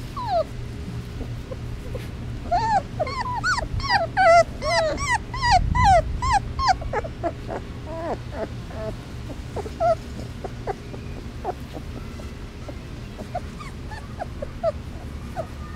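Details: Basset Hound puppies, three weeks old and outdoors for the first time, crying for their mommy: a burst of rhythmic, harmonic-rich yelping whimpers early on, then fainter scattered whines; a low thump is heard midway.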